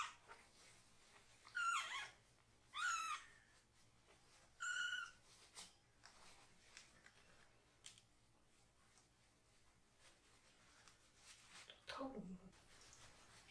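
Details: Foster kitten, Tare-chan or Bocchan, meowing loudly but not struggling as its bottom is washed indoors. Three sharp, high cries in quick succession, then quiet handling noises and a final descending, fading wail.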